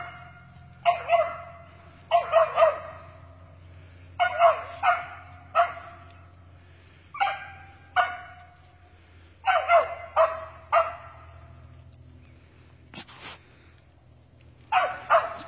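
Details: Cur dog barking while chasing a fox squirrel on a squirrel hunt in Texas; loud single barks and short doubled bursts come in irregular bouts roughly every one to two seconds, with a low steady hum underneath.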